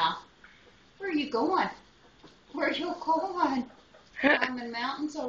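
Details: Misun, a wolf pup whose name means "little brother", gives his first howl as a baby; one of four pups Shy Wolf took in together in 2010. Three wavering, drawn-out tonal howls, each under a second, separated by short pauses indoors.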